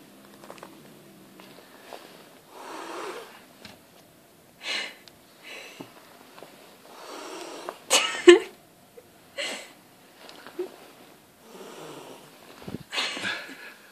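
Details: Female pet cat, angry after being woken from a dream, making a series of breathy, hiss-like bursts, each lasting about a second, separated by short quiet gaps, with a few faint clicks between them.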